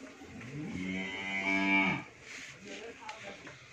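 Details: Friesian cow, first-calving and kept with her heifer calf at a dairy farm in Bhangura, Pabna, Bangladesh, lowing once in a swelling, buzzy moo lasting about a second and a half over a noisy barn background.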